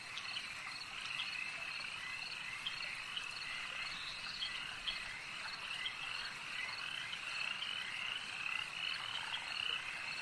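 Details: Croaking frogs at a lake form a steady, dense chorus of high trills and chirps, unchanging in intensity, with occasional sharper notes over the background mass.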